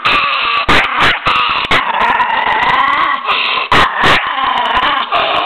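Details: Fierce miniature pinscher growling continuously in a raspy, rumbling snarl, with several abrupt sharp bursts cutting in, recorded close up.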